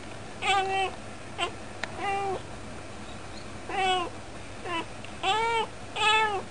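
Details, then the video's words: Talking cat at its usual window spot; seven clear meows come in irregular bursts, short chirp-like calls mixed with longer drawn-out ones that rise and then fall, separated by quiet pauses over a faint low hum. "しゃべる猫 - vol.7 - 「さむいね～」"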